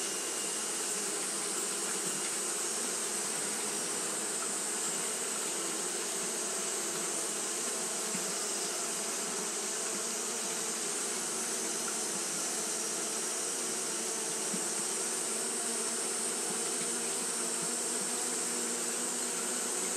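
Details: On a hot day, Japanese honey bees keep up their fanning behaviour, making a constant layered drone of many beating wings, low and buzzy, with a bright steady hiss riding on top throughout.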